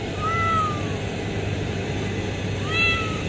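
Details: Cat found under a pipe at a refinery site, where a mother has given birth: two high, slurred meows, the first drawn out and falling, the second shorter about two seconds later, over a steady low machinery hum.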